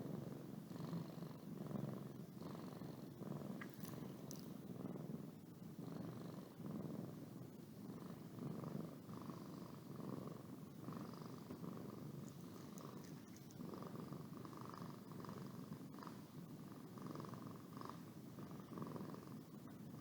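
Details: Pet cat named Boo purrs as it yawns: continuous low vibrating rumble pulsing in slow breath cycles for twenty seconds, a soft higher hum layered above, quiet background otherwise.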